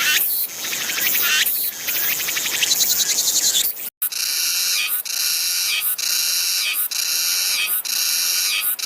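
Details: Cicada song from Korea, one of five domestic cicada species: first a loud harsh buzzing chorus with pulsing rhythm, then after a brief gap a shrill rasping phrase repeated roughly once a second.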